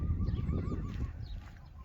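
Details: Friesian horse at a farm keeping many Friesians, whinnying as horses move to another pasture: a wavering, tremulous tonal whinny with bright overtones lasting about a second, then fading, over low rumbling ground noise.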